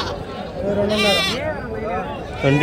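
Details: At a sheep market, red sheep give a loud, tremulous bleat with a shaky, vibrating pitch. Another bleat starts at the very end, and a man speaks in Telugu over the animals.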